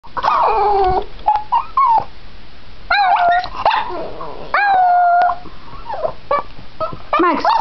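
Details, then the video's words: Border Terrier howling, a female dog: wavering tonal howls near the middle pitch range with rising and falling slides, broken into short bursts with brief pauses and a few sharper yips between. "Cutest Howl from Maggie the Border Terrier"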